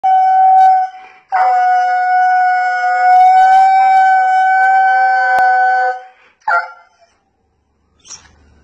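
A Siberian Husky gives a long, steady, siren-like howl, then short wavering yips, begging for snacks.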